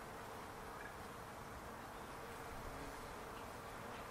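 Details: Many bees in a backyard palo verde tree give a continuous, even buzzing hum with no clear breaks, under a faint low background drone.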